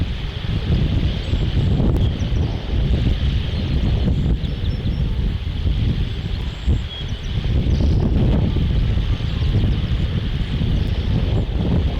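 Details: Heavy wind rumble buffets the microphone throughout, with a faint steady high hiss and no clear animal calls.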